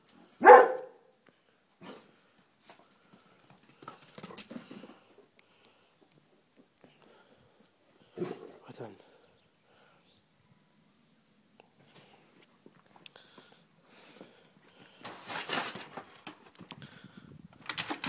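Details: A Dobermann lets out a single loud, sharp bark at the start. Sparse, quieter knocks and short noises follow, with a person speaking Dutch nearby and telling the dog to stay.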